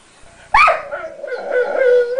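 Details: Crying from Sombra the dog, upset while Decker keeps a bit of his guarded chew; a sudden sharp cry eases into a sustained, nasal, wavering whine that slowly rises at the end.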